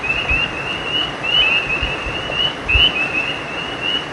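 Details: By a creek after dark, frogs repeat quick high chirps that rise slightly, several voices overlapping into a continuous band, set against steady low rushing noise.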